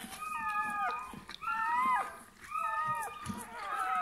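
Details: Newborn Bernese Mountain Dog puppy at birth, making short high squeaky whines in three or four separate bursts, each wavering then falling away.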